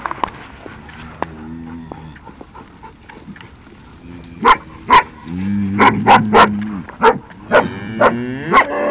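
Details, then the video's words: Cattle being moved to a new spot by a cattle dog and another dog, herded slowly rather than rushed; low drawn-out lowing with stacked harmonics near the end, mixed with sharp dog barks and short calls. "Raja Roxy Zora Rinderumstellen"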